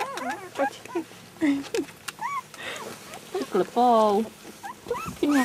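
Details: Three-week-old puppies, a litter of four, whine and squeal in quick arching yelps, rising then falling, several per second with short gaps, one longer wavering whine near the middle; people chat quietly nearby.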